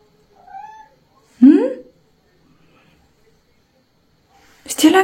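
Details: A domestic cat indoors gives one short meow that rises and then falls, with clear harmonics, lasting about half a second. A person speaks German softly before it, and a sharp burst of noise follows near the end.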